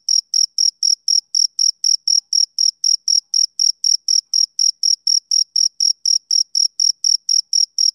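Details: Summer-evening chirping from a male cricket: crisp, high-pitched pulses follow each other about every quarter second in an even, unbroken train, with nothing else audible.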